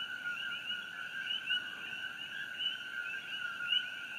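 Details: Coqui frogs calling at night near the glowing Fissure 8 eruption in Hawaii, June 27, 2018: a dense, steady chorus of many overlapping frogs forming two continuous high bands, with brief sharper chirps standing out. No other sounds.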